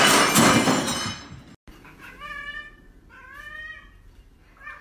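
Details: Domestic cat in a funny cats compilation: after a loud burst of noise and a brief dropout, two drawn-out harmonic meows, the second longer and wavering, with a faint third starting at the end.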